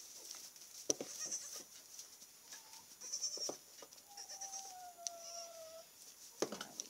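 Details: Nigerian Dwarf goat kids about two weeks old, kept with a docile, protective Great Pyrenees dog; a brief faint bleat, then a longer thin, steady, slightly falling bleat near the end, over scattered clicks and knocks and a constant high-pitched hiss.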